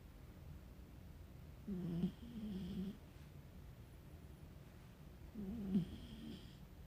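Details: Sleeping puppy snoring indoors: two low, rumbling snore breaths about four seconds apart, each lasting around a second with a faint wheezy overtone, in an otherwise quiet room.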